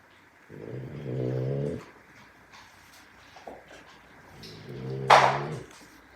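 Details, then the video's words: Napping Boxer puppies snore indoors: two low, droning, buzzy snores about a second long, separated by a quiet breath, ending with a brief noisy snort. "SNORING BOXER PUPPIES!!"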